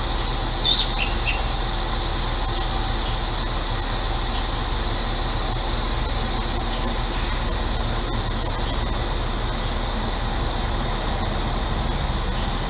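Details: Cicadas calling on a hot day in central Illinois: a steady, high, hissing drone that runs unbroken through the whole stretch, over a low constant hum from a neighbor's air conditioner, with a few faint bird chirps near the start.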